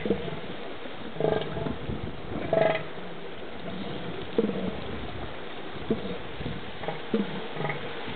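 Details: Two northern elephant seals squaring off for a brief battle on the beach at Año Nuevo State Reserve, California; deep, guttural pulsed bursts about a second long, every one to two seconds, over surf and wind.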